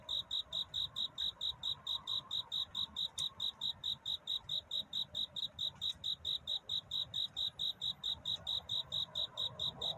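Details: Courting cricket at night near dawn, bright high chirps repeated steadily more than twice a second, with a couple of faint clicks and a quiet low background.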